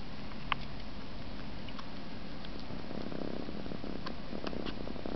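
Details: Low continuous purr from an Egyptian Mau cat sucking its paw, joined by a burst of quick wet sucking clicks in the second half.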